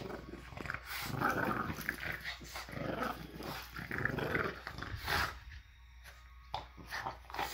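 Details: Two French Bulldogs playing tug-of-war after breakfast on a Monday morning growl and grumble in rough, rumbling bursts.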